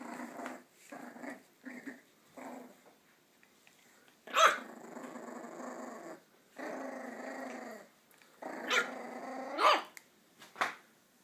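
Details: Indoors on 3 August 2013, two young male Parson Russell Terriers (long-legged Jack Russells) wrestle in play, barking even with full mouths; short growl bursts, then longer rumbling growls broken by sharp, loud barks near the middle and end.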